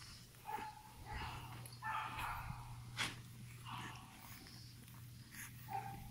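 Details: French Bulldog puppies of a 14 July 2018 litter seeking owners let out short, high squeaky yelps and whimpers, some rising, about one every second, against a steady background hum with a sharp knock midway.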